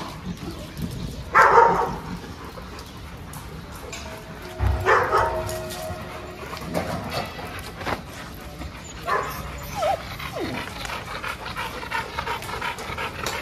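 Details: Dog at a dog training school in Jodhpur, giving three short, loud barks spaced several seconds apart, near the start, middle and end, with a few softer yelps between them over a steady background hum and noise.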